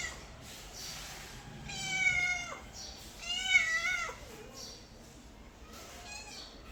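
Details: Mother cat with kittens: a few clear, drawn-out meows with rich overtones, each bending upward then dropping away, spaced a second or two apart against quiet background noise.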